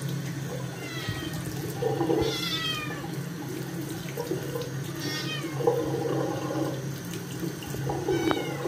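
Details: Dirty Scottish kitten resisting its second bath after getting its paws dirty, giving short high meows over running tap water and a steady low hum; calls come in brief bursts separated by water noise.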